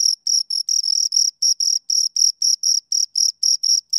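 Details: A pair of crickets chirps rapidly, around sixteen shrill pulses in four seconds, some slightly longer and buzzier than others, loud and close with a silent background.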